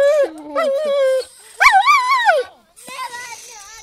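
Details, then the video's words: Dog whining: a long level tonal whine with a sudden drop, then a louder rising-and-falling drawn-out cry, followed by softer wavering whimpers. The dog is described as funny. "собака скулит"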